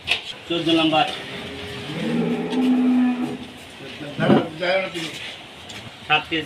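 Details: Farm cattle kept for milk give a low, droning moo in the middle of the clip, between sharp knocks and clatter, with music and noisy surroundings.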